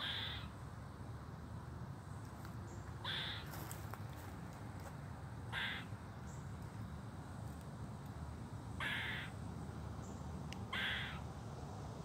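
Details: Harsh, nasal, caw-like alarm calls from an eastern gray squirrel come in short bursts every two to three seconds on 14 July 2023, over a steady low rumble of wind or distant traffic.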